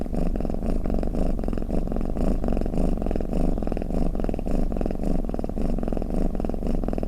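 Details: Snoring cat giving a continuous rumbling purr, soft pulsing waves tied to its breathing, steady loudness throughout, close and clean without background noise.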